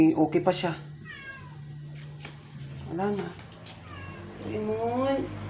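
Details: Rescued indoor stray cat, dying after a vet visit for not eating for twelve days; brief descending meows, a drawn-out one then two later wavering cries, with a person's voice at the start and a steady low hum throughout.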